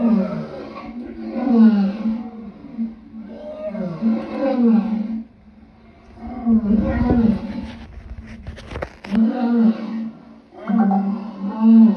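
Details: Lion voicing a run of gruff, harmonic roars in bursts of a second or two, broken by a short pause and a brief rustling, crackling noise before the calling resumes.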